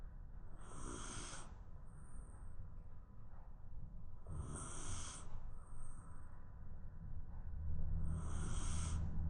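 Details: Napping Shiba Inu snoring in its sleep, three airy, hissing breaths about four seconds apart, each followed by a faint thin whistle, with a constant low hum underneath.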